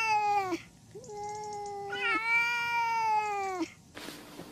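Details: Pet cat giving a run of drawn-out meows, the first short and falling, then a longer sustained one with a slight rise and a falling tail, followed by a brief noisy rustle.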